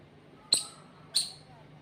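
A squirrel gives two sharp, high chirps about two-thirds of a second apart.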